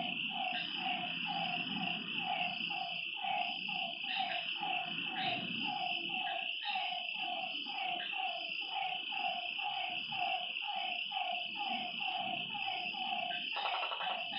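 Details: Frogs croaking at a lake after dark in a rapid, uneven series of harmonic notes, with a constant high insect whine and some low background rumble.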